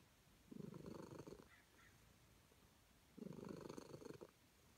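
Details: Calico cat, happy to be petted, purring in two rumbling bursts about a second long, separated by a quiet pause of over a second.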